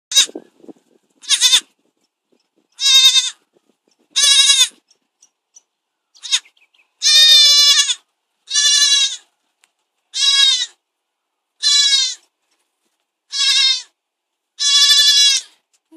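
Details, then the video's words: Baby goat bleating over and over, loud harmonic cries about half a second to a second long, roughly every one to two seconds, with short quiet gaps between them. "Noisy baby goat"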